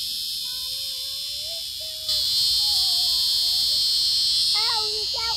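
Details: Close-up of a screaming locust cicada: an unbroken piercing high-pitched buzz that steps up sharply in volume after two seconds, with human voices speaking throughout and a few quick syllables near the end.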